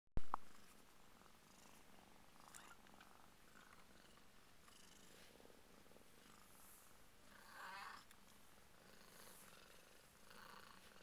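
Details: Two-week-old Burmese kittens belonging to Purrdy, indoors: a soft, steady low purr runs throughout, with a sharp click at the start and a brief high squeaky note near the eighth second.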